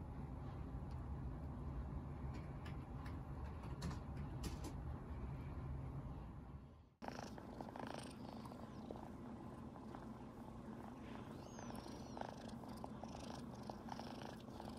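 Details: Happy kitten purring nonstop as its owner pets it, with its sister cats lounging nearby; a deep, rapidly pulsing purr fills the clip, briefly cut off around the middle before resuming just as loud.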